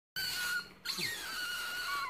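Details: Rare baby otter with white feet and a white ringed tail, indoors: a steady high whistled squeal with bright overtones, a short break, then a falling sweep that settles into a long level whistle.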